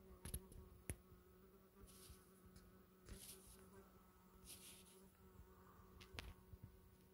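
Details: Huge hornet, six to seven centimetres long, near Orikhiv in Ukraine's Zaporizhzhia region on 13 July 2024, in abnormal heat up to 40°C: a steady low droning hum with overtones, broken by sharp clicks and knocks.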